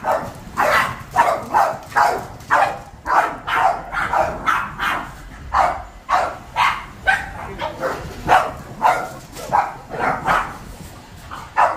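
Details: Boston Terriers, a household pack of seven, bark in reaction to vacuuming. Rapid sharp barks repeat about twice a second, some doubled, with short gaps and a voice briefly underneath.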